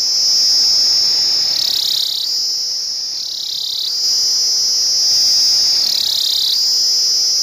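A cicada gives a loud, continuous high-pitched buzz that dips and shifts in pitch every few seconds.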